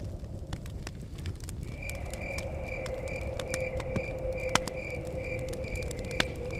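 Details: Crickets chirping by a cabin in the forest, with a crackling fire and blowing wind. From about two seconds in, a steady run of rapid, high pulsed trills sounds over sharp fire pops, a low rumble and a constant mid-pitched hum.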